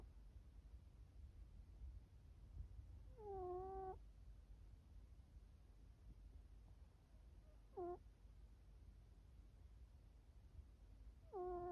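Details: Sleeping cat named Chifuyu snoring indoors: three tonal, harmonic squeaks, each under a second, some slightly rising, spaced several seconds apart over a low steady background rumble.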